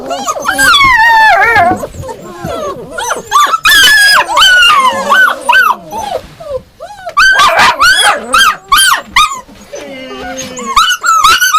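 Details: Yakutian Laika yelping and barking in bursts, high arched calls with whines between, a lower drawn-out whimper near the end.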